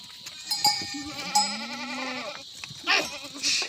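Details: Himalayan goat at a goat farm in the jungle near an Uttarakhand village, India, bleating in a long wavering tremolo about one and a half seconds, with a shorter call before it, over a steady high insect drone.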